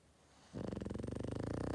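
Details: Sleeping Boston Terrier: after half a second of quiet, one loud, rough snore begins and keeps rattling in a fast, regular pulse to the end.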